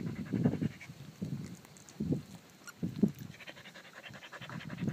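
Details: A Pungsan dog breathes hard in rough, low panting puffs, coming in clusters roughly every second with quieter gaps between them.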